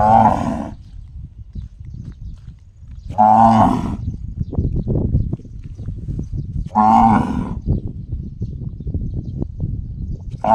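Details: Gong-like calls from a cow: loud, brief, ringing harmonic bursts roughly every three and a half seconds, four heard, with a low droning rumble filling the gaps.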